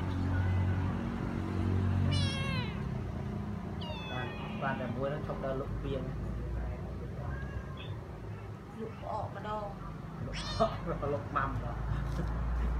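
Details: Domestic cats and kittens at home, some rescued strays, fed and played with daily; several short rising-falling meows around two, four and ten seconds over steady low background hum and faint voices.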